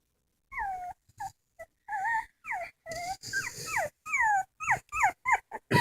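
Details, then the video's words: Dog crying in a comic home recording: a long run of high whining wails, some falling, some rising then dropping, broken by short gaps, with faint room noise. "Funny dogs crying"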